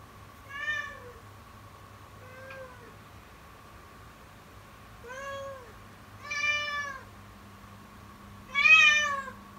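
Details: Kitten crying loudly and persistently in the morning with an alarmingly fearful voice: five arched, nasal meows, rising then falling in pitch, spaced irregularly, the last one loudest, over a steady low electrical hum.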